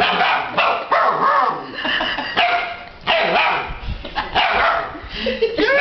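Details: An 8-week-old litter of Alaskan Malamute puppies vocalizing with a man who talks back to them: overlapping yips, whines and short wavering woo-woo howls, mixed with human speech.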